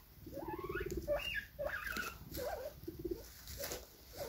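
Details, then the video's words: Guinea pigs giving a run of short tonal squeaks and chirps, some rising and falling in pitch, others in brief wavering bursts with small gaps between them, over a faint background hiss. "guinea pigs sounds"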